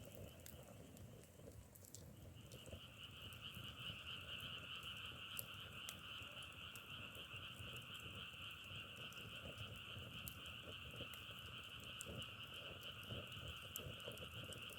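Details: A frog chorus swells in after two seconds into a constant high, trilling hum with a lower companion tone, while dry crackling clicks pop irregularly throughout.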